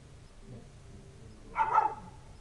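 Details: Village dog on a winter night, 3 January 2017, barking for no visible reason while waiting for its owner: one short, hoarse bark burst near the end, over steady low background rumble.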